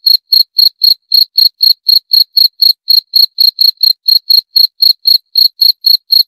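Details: Cricket: continuous, evenly spaced chirps, each a brief shrill buzzy pulse, repeated around four times per second in a clean, quiet recording.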